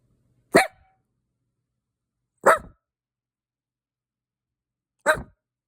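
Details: Pet dog giving three short, sharp barks spaced about two seconds apart, each abrupt like a hiccup, in an otherwise quiet indoor setting.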